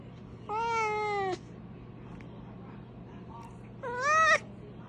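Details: Cat with a fire-truck-like voice uttering two separate tonal meows, each just under a second long, the second rising in pitch and louder, with a quiet room between them.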